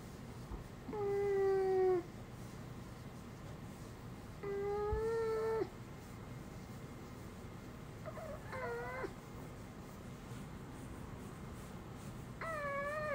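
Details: Dog named Uni, who has made only human-like sounds instead of barking since young, utters four sustained voiced notes about four seconds apart. The earlier ones are level and slightly falling, the later ones wavering and bending. Indoors, little background noise.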